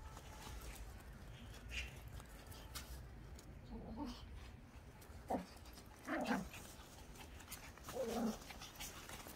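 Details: Pomeranian out on a walk on a cloudy day gives a few short, rising whines around the middle and end, over steady low rumbling background noise.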